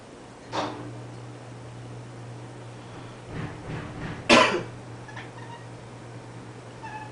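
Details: Female house cat indoors reacting to people coughing; after several loud coughs, brief harmonic meow-like calls follow, with a quiet one at the very end and a steady low hum in the background.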